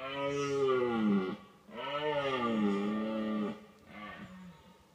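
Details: Red deer stag, watched from a car used as a hide, bellows during the rut to warn away rival stags: two long, deep, wavering groans with rich harmonics, then a shorter third one fading out.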